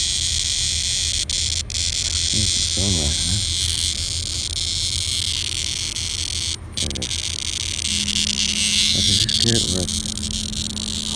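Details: An annual cicada, caught by the dog Henry MinPin, held close: a constant high droning buzz runs under a person talking, with small clicks and handling noises scattered through.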